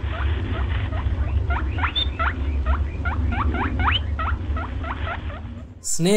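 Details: Rabbit squeaking for a kids' animal-sounds class: a steady series of short, sharp, upward-sweeping squeaks, roughly four per second, over a constant low hum, breaking off into a different louder sound at the very end.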